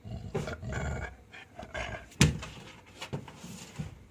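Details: Simba, a pet Labrador Retriever refusing food indoors, makes low throaty grumbling bursts with a grating edge, broken by a sharp knock and quieter rumbles afterwards.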